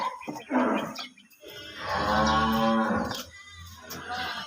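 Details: Cattle at a farm: a steady, low droning moo of about a second rises out of nearby talk in Bengali, with voices before and after.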